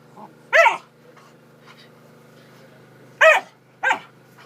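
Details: Macy, a Pointer puppy, lets out three sharp, harsh yelps with strong overtones, one near the start and two close together near the end, over a steady electrical hum.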